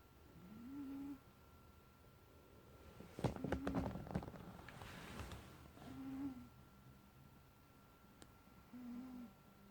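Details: Toby, a 16-year-old pet cat, snoring while asleep indoors after a day without good sleep: soft, rising whistled breaths with a slight nasal tone, recurring roughly every two and a half seconds, with a brief rustling burst midway.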